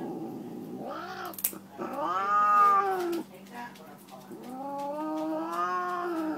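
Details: Female Siamese tabby cat indoors, protesting while getting her nails clipped: long drawn-out harmonic yowls that rise and fall, three wailing cries over several seconds, with a short scuffle between them.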